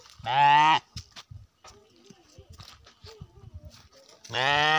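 A Garut sheep gives two loud, nasal, slightly wavering bleats, with quiet human voices in between.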